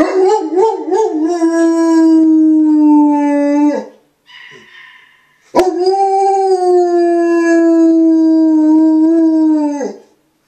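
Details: An old dog howls early on a Sunday morning at 8 am: a long wavering howl settling into a steady tone, a brief pause with soft breathy noise, then a second sustained howl of about four seconds.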